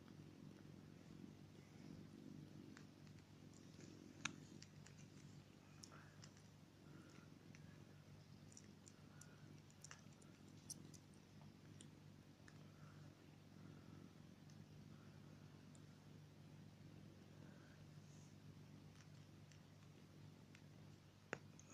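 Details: Three-week-old Persian kittens: soft, faint mews that rise and fall, scattered every few seconds over a steady low purr-like rumble, with occasional sharp clicks and a constant electrical hum.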